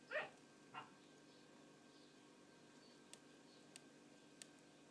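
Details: Two female puppies, the last of a litter of nine born in October 2011, playing in a hole in a hessian bed; two short, high, squeaky yips in the first second, then near silence broken by a few faint clicks.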